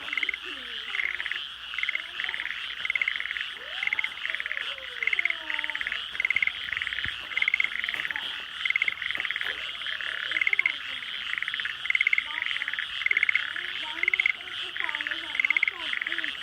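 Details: Frogs chorusing at night in rural flooded rice paddies at the start of frog season, houses nearby in the dark: dense high trilling with louder pulsed bursts about every second, and lower wavering, sliding calls from other frogs mixed in.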